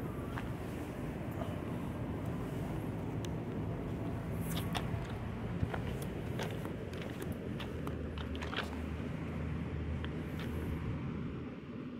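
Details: Outdoor urban rumble of passing traffic with scattered footsteps and clicks; no animal voice stands out.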